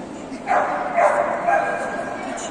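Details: Golden Retriever at a single-breed dog show in Yekaterinburg on 19 December 2021, junior males class: three loud, clipped barks about half a second apart, set against the steady murmur of a crowded indoor hall.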